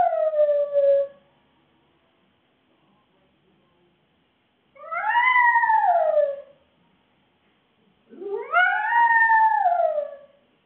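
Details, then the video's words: Fudge, a Shih Tzu poodle cross left home alone and caught on CCTV, utters shorter arched howls about two seconds long that rise and then dip, one starting with a wavering yelp, separated by quiet pauses. "Fudge the howling Shihtzu caught on CCTV"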